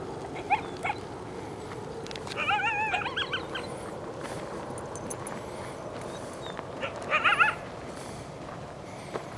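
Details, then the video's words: Two coyotes from a pack of about 5 or 6, apparently near their den, give a brief wavering, quavering howl and a sharp yipping burst over steady hiss; the recordist thinks they were calling to lure people away from the den. "coyote-calls"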